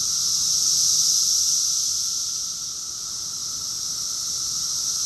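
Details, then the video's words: Cicadas singing together in June 2021 in Rockville, Maryland, USA, a summer chorus: a steady shrill electric buzz, loudest near the start, dipping softer midway and then building gently again. "Cicadas song || Cicada's chorus song"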